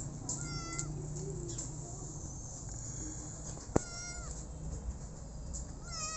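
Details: Short, sharp meows from a rescued street kitten, three cries spread across the stretch, one sudden knock in between, over a constant low hum.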